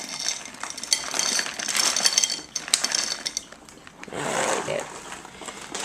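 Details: Clinking dishes and cutlery clatter with faint speech, and no clear animal sound.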